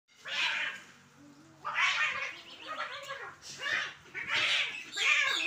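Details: Cats fighting on a Sunday morning: drawn-out, wavering yowls and caterwauls rising and falling in long overlapping bouts, several loud surges about a second apart.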